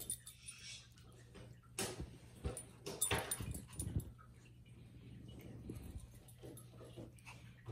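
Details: A playful Shih Tzu gives a few short, sharp barks and yips over a steady low hum.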